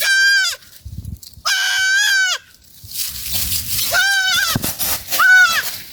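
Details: Goats feeding together in a forest bleat four times, with a long, wavering, strongly harmonic first pair followed by two shorter, falling cries, against soft crunching and rustling of foliage.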